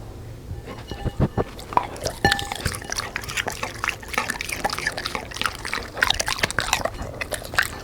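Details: Black Labrador eating fried dough with sponge cake and vegetables: irregular sharp crunching and biting clicks, wet chewing noises, louder bursts every second or so, in a quiet indoor setting.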